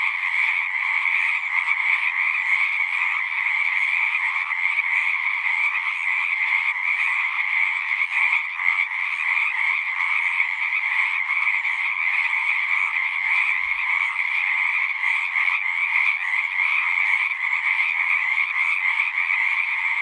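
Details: Numerous frogs singing together at a pond in a horse pasture, Zoom recording: dense, steady trilling croaks in two pitch bands, continuous throughout, with a faint low thump partway through.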